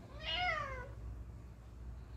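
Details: Domestic cat chatting with its humans indoors, giving one clear, arched meow that rises then falls in under a second, followed by quiet room noise.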